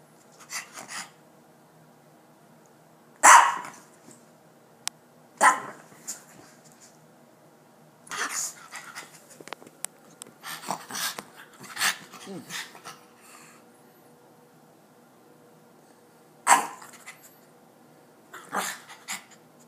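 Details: Ginger, a dog, barks in short loud bursts spaced several seconds apart, with about six barks over the recording and low muffled sounds and rustling between them.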